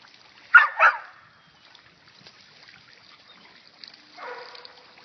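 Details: Lucy, a dog playing in a water fountain, gives a quick pair of sharp barks, then a softer drawn-out whine-like bark a few seconds later, over faint trickling water.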